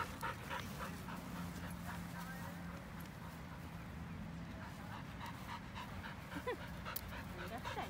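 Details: Elderly white Samoyed named Pasepon resting on grass, breathing in rapid, somewhat uneven huffs, with a low steady hum and faint human voices in the background.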